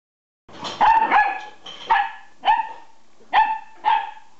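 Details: Nine-week-old collie puppy barking at a fork: six sharp, high yappy barks, the first two close together, then single barks spaced about half a second to a second apart, with quiet between them.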